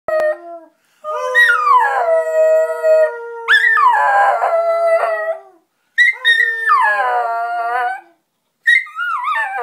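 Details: Neo, a miniature schnauzer, howls while singing along with people: long, wavering tonal howls rising then sliding downward, in three or four drawn-out bursts separated by brief pauses, with a steady lower voice joining in underneath.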